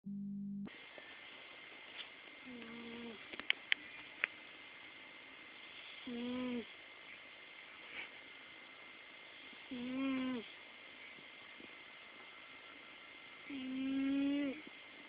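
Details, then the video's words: Hope the pet cat snoring: soft, nasal, tonal snores that swell and fade roughly every four seconds, the last one longest and loudest, over a steady high electrical hum with a few small clicks early on. "My cat Hope snoring"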